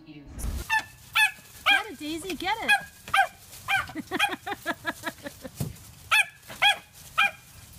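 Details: Dog from a funny dog compilation gives a run of short, high, harmonic yaps, about two every second, some bent and honking in tone, ending in a final cluster of barks over faint background noise.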